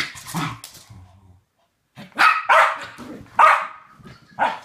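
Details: Two West Highland White Terriers, best friends playing a classic game together, give sharp, high barks in short bursts, a few widely spaced yaps separated by quiet gaps, with faint low growly sounds at the start.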